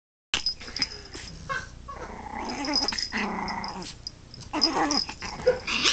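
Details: Dog on a gloomy-free domestic scene uttering low rough growls mixed with whining, wheezy whimpers and short harsh bursts, as the dog seems unimpressed by playing with another companion; a steady high ringing tone runs underneath.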